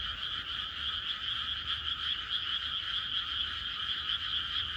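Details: A night chorus of frogs in a quiet rural landscape, many callers blending into a continuous high, rapidly pulsing trill at an even loudness throughout, with no other clear sounds.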